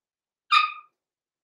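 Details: Six-week-old blenheim Cavalier King Charles Spaniel puppy, one of a small litter born November 14, 2022, in an indoor puppy pen, gives a single short high-pitched yelp with a sharp onset that fades within a third of a second; otherwise quiet.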